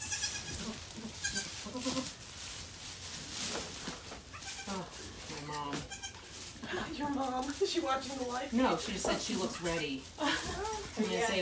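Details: Goat kids and their mother Maybel, a rescued doe at Goats of Anarchy, just after she gave birth to four kids; wavering bleats with layered harmonics repeat over people talking nearby.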